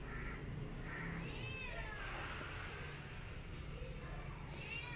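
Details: House cat producing short arching mews, several brief calls spread through the recording, set against constant low-pitched rumbling noise.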